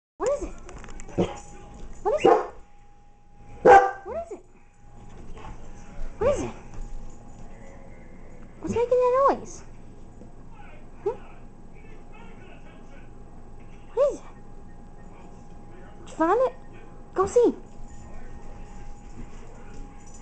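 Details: Dog sniffing out and reacting to a tea maker that makes a growling sound, giving scattered short barks and whines spaced a few seconds apart, over a steady low appliance hum and a person talking.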